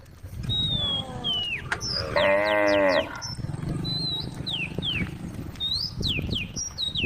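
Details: Among tame cows on a forest road, one animal lets out a single harmonic moo of nearly a second midway through. Several birds whistle sharp downward-sliding notes all around, with low rumbling noise below.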